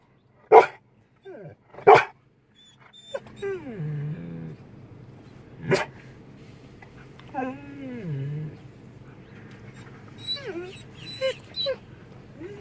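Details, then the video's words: Household Belgian Malinois making funny noises as it talks back to its owner before Thanksgiving. Two loud barks open, followed by low, drawn-out grumbling moans that sag and rise, another bark, then higher whimpering yips. "my dog make's funny noises he talks to me"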